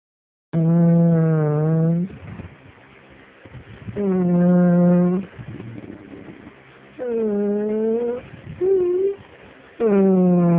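An English Springer Spaniel gives drawn-out, wavering moans that rise and fall like speech.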